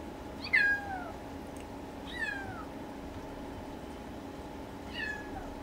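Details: Siberian kitten on its second day in a new home, crying while searching for its mother, with a Maine Coon nearby; three short descending meows about two seconds apart, the first loudest, over a steady low indoor hum.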